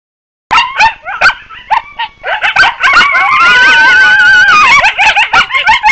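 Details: Group of wild coyotes: after a brief silence, rapid high yips and short barks come in bursts, then several overlapping wavering howls rise and fall together from about three seconds on, with yips continuing through the chorus.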